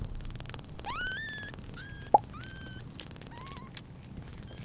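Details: Newborn British Shorthair kitten Pudding on its first day after birth, 11/09/2022, beside mother cat Sunny; four thin, high, slightly rising mews with a soft knock midway, over low household rumble.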